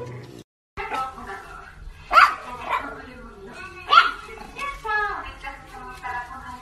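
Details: French Bulldog in a funny pet compilation giving two sharp, loud barks about two seconds apart, surrounded by background music and people talking.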